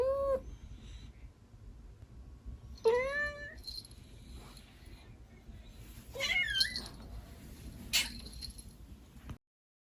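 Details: Young female kitten, between 16 weeks and 11 months, gives a soft brief meow, then a drawn-out rising-and-falling one, and later a higher bending cry, with faint rustling and a soft tap in between.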